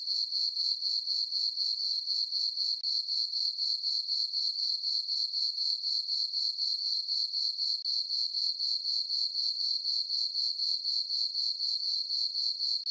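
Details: On a full-moon summer night in a farm meadow, crickets keep up an unbroken high-pitched chirping, pulsing steadily around four times each second with no other noises.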